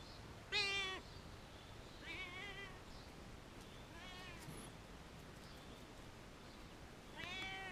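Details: A very vocal cat on a wall meows four times, harmonic calls spaced about two seconds apart, the first loudest and the later ones fainter over steady background hiss.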